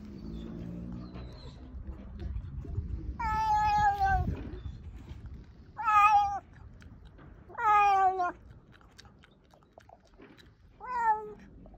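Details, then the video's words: Orange house cat in Ukraine, filmed April 1, 2024, making strange noises: four separate short, strained, harmonic meows spaced about two seconds apart, with rustling and low noise between calls. "Orange Cat Makes Strange Noises"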